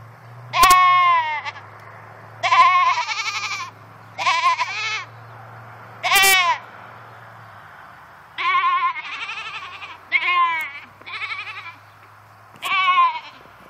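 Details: Domestic goats bleating while left alone in a new fenced pen, unhappy at being by themselves: eight loud, wavering bleats of about a second each, spaced irregularly a second or two apart, over a low steady hum.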